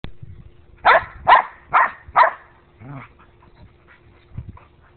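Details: Two dogs fighting: four sharp, harsh barks in quick succession about half a second apart, then softer, lower yelps and grumbles fading out, with a brief human voice partway through.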